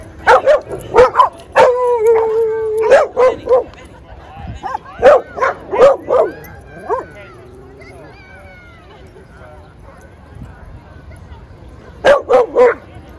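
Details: Playing dogs in a Brooklyn dog park give clusters of sharp barks, a drawn-out whine near the two-second mark, then a quiet stretch before a final trio of barks; people talking softly behind.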